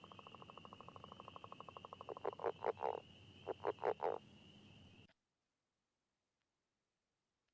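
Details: Northern leopard frog territorial call from the Chicago region, given underwater in a wet meadow, prairie or marsh-edge breeding site: a quiet, rapid snoring rattle, then a series of coarse chuckles. It can be mistaken for a wood frog.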